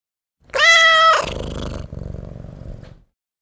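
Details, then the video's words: Hungry stray female tabby cat meowing loudly for food: one strong, drawn-out, nasal meow with rich harmonics lasting about half a second, then a low rumbling background noise. "Tabby Cat Meowing Loudly for Food"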